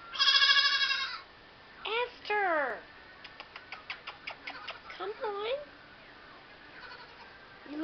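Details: Baby goat named Esther at WTH Farm, a kid looking for its mother: a loud harmonic bleat opens, followed by shorter wavering bleats, with a woman calling to it and clicking sounds between calls.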